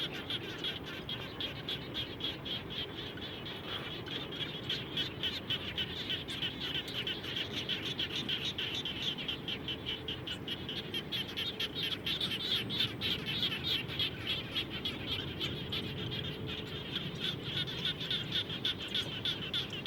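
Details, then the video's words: A dense chorus of frogs calling together around a home after rain, with rapid overlapping pulsed notes. "Audio Background - Natural Sound of Frogs After Raining"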